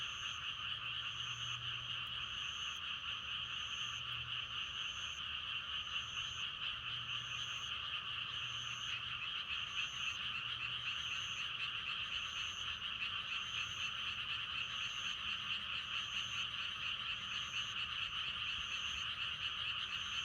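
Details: Continuous frog chorus, steady and rapidly pulsing, recorded for meditation and sleep. Quick high notes repeat twice a second or so above the croaking, with faint low rumbles early on.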